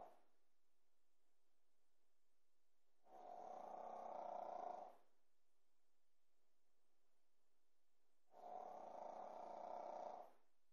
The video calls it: snoring pekingese puppy - juju bear